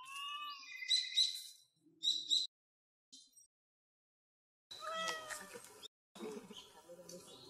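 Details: Domestic cat crying in a cute voice: high, thin meows with rising and falling arcs, then a longer noisier meow after a pause, with brief quiet gaps between calls.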